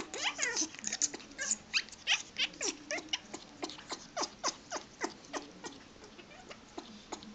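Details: Pet dog producing strange noises thought to signal wanting to mate or happiness; quick sharp clicky bursts, about three per second, irregular, mixed with breathy snorts and a low whining hum.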